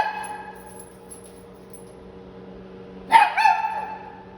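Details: After nearly three seconds of quiet room hum, a Shih Tzu puppy from San Antonio, Texas, fires off a quick double bark, two sharp yelps in rapid succession.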